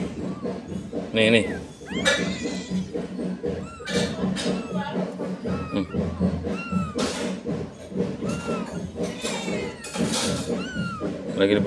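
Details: A cat being bathed and cleaned so it has no lice gives repeated short arched meows, rising then falling, about every one to two seconds, over steady Indonesian speech and background music.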